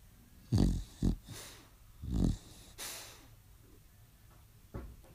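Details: Staffordshire Bull Terrier female asleep and dreaming, loudly snoring: deep, rough snorts and grunts in short irregular bursts, two pairs close together then softer breaths, in a quiet room.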